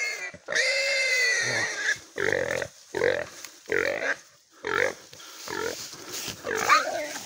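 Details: During a hunt, wild boar give loud, harsh squeals in rapid bursts, with a human voice faintly in the background.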